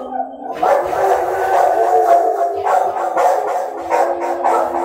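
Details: Dogs howling at night in one continuous, wavering, harmonic chorus that overlaps throughout, with faint clicks and knocks underneath.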